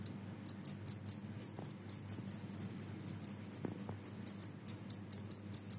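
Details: Genggong cricket, described as noisy and said to drive away rats and mosquitoes; high, sharp chirps pulsing steadily about three times per second, with faint low background hum.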